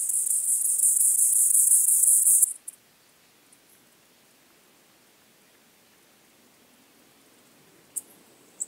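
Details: White-clubbed grasshopper, Gomphocerippus rufus, at Elsbethen, Austria, on 18 September 2020: a steady, very high hissing buzz lasts about two and a half seconds, then stops into near silence, with two brief high ticks near the end.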